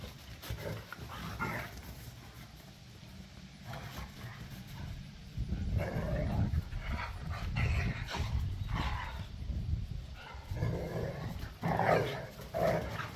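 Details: Three pit bulls and a Malinois playing tug of war in a back yard, deep continuous growling and snarling swelling in loud bursts, panting and scuffling between, with a faint distant hum.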